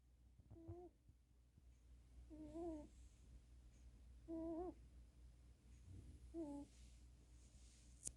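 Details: Sleeping cat snoring: four nasal, whistle-like tones with a slightly wavering pitch, one with each breath about every two seconds, over a low steady indoor hum.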